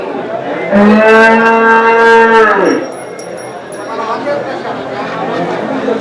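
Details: Indigenous desi cow at Chakan's Saturday cow market, 3 January 2026, lowing once: a loud, level, harmonic moo lasting about two seconds, then fading into murmured voices and faint market background.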